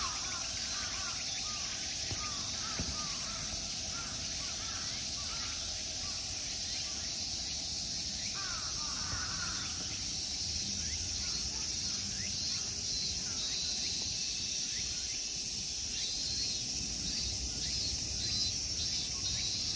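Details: Summer insect chorus in a temple park at Ikegami Honmonji, Tokyo, Japan: a steady, high-pitched hiss and shrill without pause, with a few lower bird calls.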